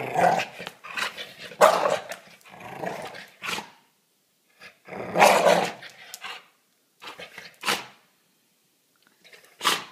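A Staffordshire bull terrier gives harsh, rumbling growls broken by sharp barks in uneven bursts.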